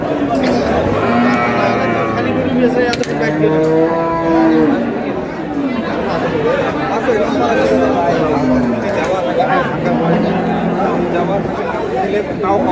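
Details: Cows with calves for sale at Amabari livestock market, Dinajpur, on April 24, 2026: several drawn-out harmonic moos, some rising then falling, repeat through the clip over constant crowd chatter and talking.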